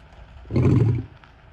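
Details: A male lion in the Greater Kruger area near Kruger National Park, walking purposefully in the early morning, lets out one short, powerful roar calling his pride. It is deep and throaty, swelling quickly, holding briefly, then dropping into quiet background.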